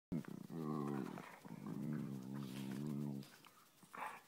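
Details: One of two Siberian Husky sisters play fighting, over a spot in a person's lap, gives drawn-out, wobbling growl-moans with a rich, low, humming tone rising and falling; a person speaks briefly at the end.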